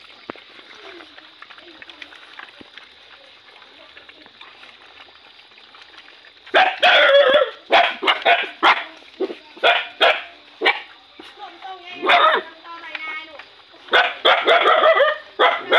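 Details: Hungry puppy being fed: after about six quiet seconds with a low background hum, a burst of sharp, high yelps and whines begins, repeated in quick uneven bursts, some with a whistly ringing tone.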